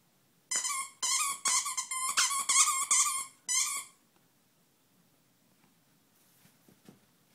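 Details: Pomeranian playing with a birdhouse inside a small room, letting out a rapid run of high, harmonic whining yelps for about three seconds, roughly two or three per second, followed by near silence with faint shuffling.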